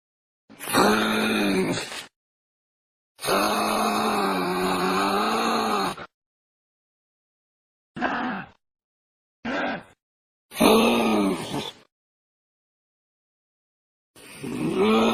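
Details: Young kangaroo making a series of moaning, harmonic groans, some long and wavering in pitch, others short and clipped, separated by silent gaps of a second or more.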